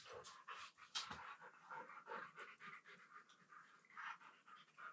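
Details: Two Siberian Huskies wrestling and mouthing each other while lying on the floor of a room indoors, giving fast rhythmic panting huffs mixed with short breathy whines, several per second throughout.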